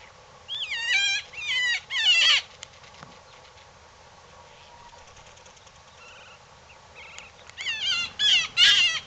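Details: Coyote giving bursts of high, quavering yips and wavering squeals, then a quiet stretch with faint distant calls, then another excited burst of yipping.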